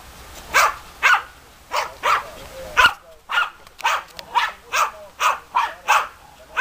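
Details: Two German Hunting Terriers, Bagira and Cox von der Fuchskralle, bark repeatedly at a steady pace, the short loud barks spaced about half a second apart throughout.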